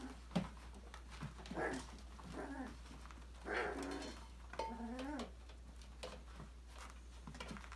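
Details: Five-week-old Australian Labradoodle puppies from a December 2020 litter playing and exploring in an indoor enrichment playground; short puppy growls and whiny yips in bursts, with scrabbling and knocking of toys between them.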